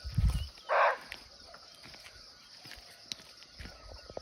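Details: A muntjac (barking deer) in a Nepalese forest, heard close by but unseen, lets out one sharp, coarse bark just after a low thud. A steady high insect whine and scattered small knocks fill the background.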